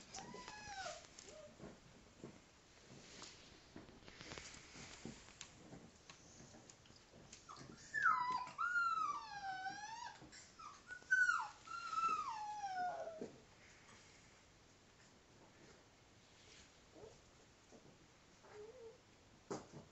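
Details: Five-week-old female Alaskan Malamute pup playing with her father; thin, wavering whines and whimpers that rise and fall in pitch, clustered loudly in the middle, with scuffling between them and short squeaks near the start and end.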